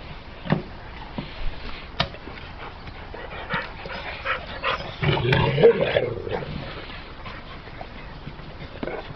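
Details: Pit bull dog with sharp clicks and knocks, then a louder whining vocal stretch around five to six seconds, followed by more scattered taps.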